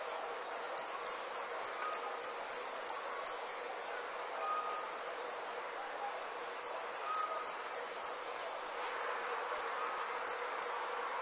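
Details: Summer night insects in the countryside give crisp, high chirps about three times a second in bursts separated by short pauses, over a continuous, thin, high buzzing drone from other insects.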